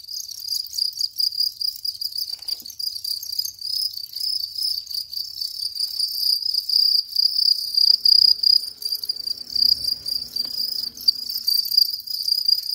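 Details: House cricket, named locally as ev cırcırı, singing a continuous high-pitched trilling chirp that holds steady throughout in rapid pulses, with a faint low hum briefly near the end.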